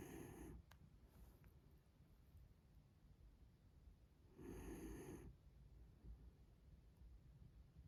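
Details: A small mame Shiba Inu sleeps and snores softly, with a raspy, breathy rumble that returns about every four seconds.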